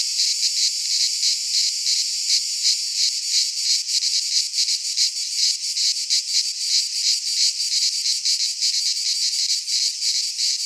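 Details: Greek pine-forest cicadas in midsummer: intense, high-pitched sizzling drone throbbing in fast repeated surges, close to three a second, continuous from start to finish with no birds or people heard.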